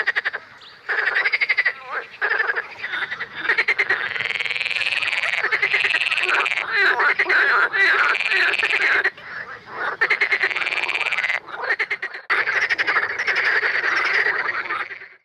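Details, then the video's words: Edible frogs (Pelophylax kl. esculentus) in May at Het Vinne, Zoutleeuw, Belgium, give loud, rattling, quacking croaks in long bursts, several voices overlapping in a chorus. "Grenouille verte (Pelophylax kl. esculentus) Edible Frog"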